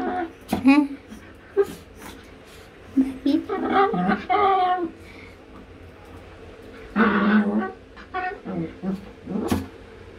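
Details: Chihuahua puppy seeking affection while its owner is in the bathroom, giving short whimpers and a few drawn-out, wavering whines separated by quiet gaps, with a couple of sharp knocks in between.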